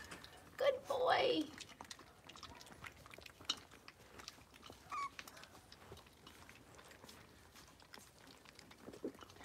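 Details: Six-week-old blenheim Cavalier King Charles Spaniel puppies from a litter of five in a home puppy pen; one short, loud whine falling in pitch near the start, then soft shuffling, scattered clicks and quiet room noise.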